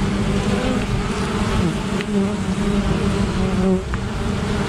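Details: Many honey bees buzzing while fending off an attacking great black wasp near their hive, a continuous low hum whose pitch wobbles and shifts as individual bees fly close, steady and loud throughout.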